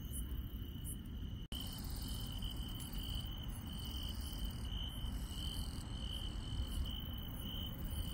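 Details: Insects calling through a rural night, a constant high trill with bursts of sharp chirping above it; a brief cut in the sound occurs early on, with low rumbling noise throughout.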